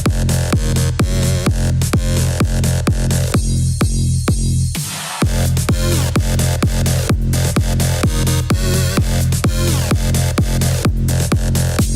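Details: Electronic dance music with a pounding four-on-the-floor beat and a brief breakdown near five seconds; no animal sound is present.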